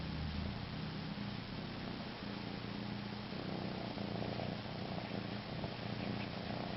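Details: Pet cat suckling on itself and purring: deep, throbbing rumble sustained for the whole stretch, rising a little in strength midway, with steady hiss behind.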